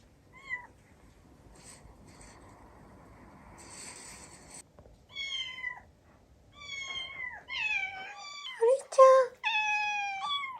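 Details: Young Tsukushi's recorded kitten cries, a female brown tabby-and-white cat, played for the other house cats, who crowded round. Quiet start with a single meow and faint rustling, then a burst of rapid, overlapping high meows with a few sharp squeaks.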